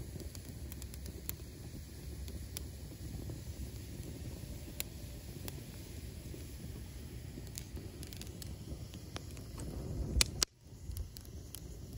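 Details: Low rumbling background with scattered sharp clicks and crackles, a loud burst and brief dropout near ten seconds, and no animal voice.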